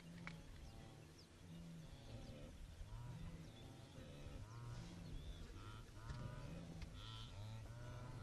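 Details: Wildebeest in the Serengeti give deep, nasal, honking grunts, several animals overlapping in steady low bursts, while chirps and whistles from birds run higher above a constant outdoor hum.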